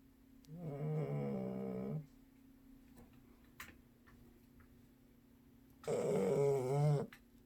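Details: Cat dozing at home, the family's youngest, gives two rasping tonal snores about four seconds apart, each lasting over a second, with a faint tap in the quiet gap between them.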